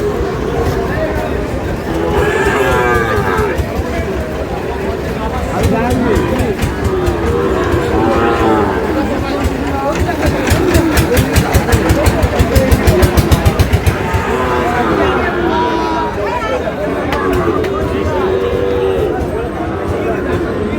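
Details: Sahiwal bull calves at a busy cattle market, where a farmer from Noakhali buys Sahiwal bull calves, dated 27/7/26. Several low moos rise out of constant crowd noise and bargaining voices, with a burst of rapid clattering around the middle.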